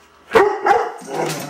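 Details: Doberman Pinscher barking on cue after being asked "What's that?", a behaviour it has shown since a few months old; two loud, harmonic barks in quick succession, followed by a quieter, rougher vocal trailing off.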